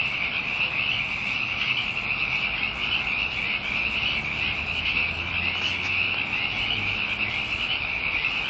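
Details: Loud massed frog chorus, an unbroken high-pitched trill that runs through the whole stretch, with a faint low hum underneath.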